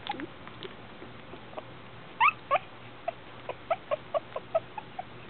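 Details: Twenty-two-day-old Shih Tzu pups of Lily's litter letting out short, high squeaks and yelps, a sharp louder pair followed by a string of brief chirpy whimpers about every quarter second.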